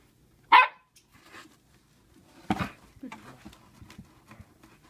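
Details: Sequoia, a young female Siberian Husky kept as a pet during her first year, gives two sharp, loud barks about two seconds apart indoors, followed by softer low grumbling noises.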